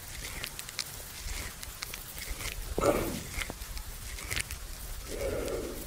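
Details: Buffalo lying at rest at noon in a farmer's field, chewing the cud: soft, irregular crunching clicks with a breathy rush near the middle and a low muffled puff toward the end, over quiet outdoor background.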